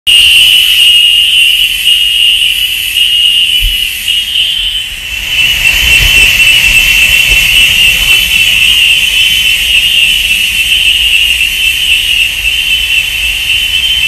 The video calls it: CANTO DAS CIGARRAS 📣🔊📢